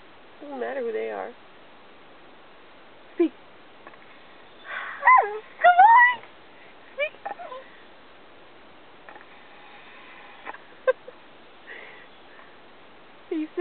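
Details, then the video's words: Robbie the Australian Cattle Dog, still learning to speak on command, gives a quavering groan and then rising, bending whines mixed with a person's encouragement and praise. "Talking with an Australian Cattle Dog"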